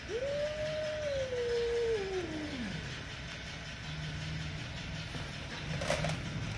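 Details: Mother cat and kitten in an angry situation: one long, clear meow that rises quickly, holds steady, then slides downward over nearly three seconds, over a low background rumble, with a short sharp knock near the end.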